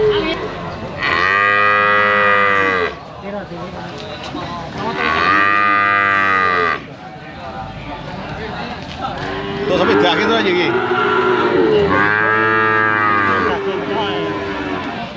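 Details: Bali cattle for slaughter at an animal market lowing repeatedly: four loud, sustained moos of one to two seconds each, spaced a few seconds apart, with a busy market murmur between calls.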